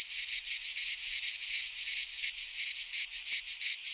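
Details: Greek pine forest cicadas in midsummer, a loud sizzling buzz broken into fast, even throbs, unbroken from start to finish.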